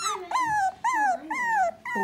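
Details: Three-week-old Dachshund pups from Myrtle's litter calling for their mother: three drawn-out, tonal whimpers, each sliding slightly downward and separated by short gaps.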